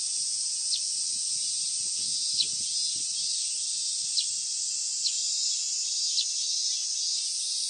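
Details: Late-summer cicadas, recorded 19 August 2020, form a continuous shrill hiss-like drone at moderate loudness, broken by a few soft clicks and some low rustling beneath.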